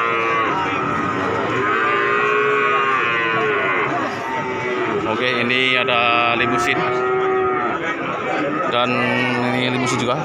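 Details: Market calves in Pati, Indonesia, at Pasar Sapi Wage: a busy overlapping chorus of bellowing moos, some steady and others curving up and down, with a louder, brighter cry near the middle and continuous crowd noise.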